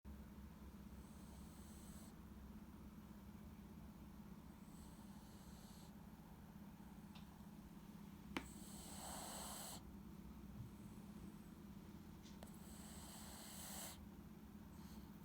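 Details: Taro, a Shih Tzu with stomach cancer in terminal care, breathing with effort indoors: a steady, rapid, rasping rhythm over a low hum, broken by a few louder hissing bursts of breath.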